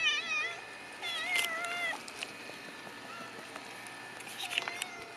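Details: Several cats kept inside a fence, meowing in short, wavering, harmonic-rich calls that rise and fall, a cluster near the start, another around two seconds and a fainter one near the end, with some clicking and rustling between.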